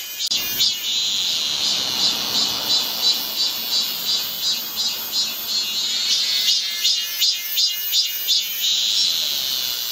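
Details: Cicadas calling on a midsummer day at Galsan hill, Gocheok-dong, Seoul: a dense shrill drone overlaid with rapid regular pulsing throbs, nearly three per second, throughout.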